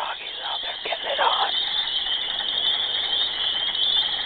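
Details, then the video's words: Frogs calling during mating, loud all day and night: a dense, continuous high-pitched trilling chorus, steady throughout, with a brief low murmur of voices near the start. "Horny Frogs"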